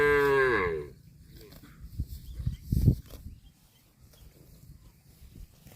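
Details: Cow out eating grass gives one loud, full moo that slides slightly downward and fades within a second, followed by quieter crunching and tearing bites of grass around the middle of the recording.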